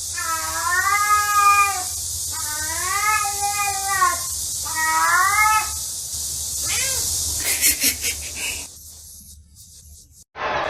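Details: Pet cat meowing three times in a row, each call a long, arching whine rising then falling, spaced about two seconds apart, over a steady hiss; clattering noises and a sudden loud burst follow.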